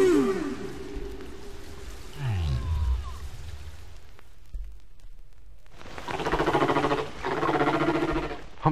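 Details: Bermuda humpback whale song recorded five years after an earlier one, the shared song having changed: low descending moans and falling groans, a quiet gap, then a loud buzzy, pulsed low tone lasting several seconds.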